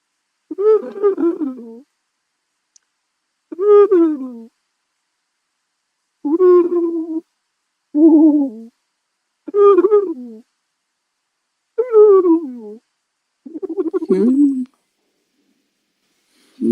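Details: Porcupine vocalizing: a series of about seven tonal, nasal whining moans, each around a second long and falling in pitch, separated by silences of one to two seconds, with no other sounds.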